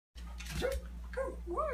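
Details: A corgi gives short, high yips that rise and fall, over a steady electrical hum, while jumping up to a trainer's chest to be caught.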